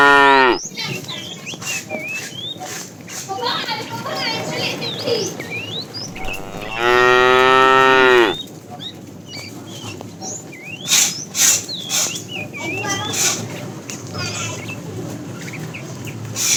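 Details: Fat cow calling the female, part of a tame herd being driven in the afternoon: one long, loud, droning moo of about two seconds in the middle, with many small birds chirping and twittering throughout.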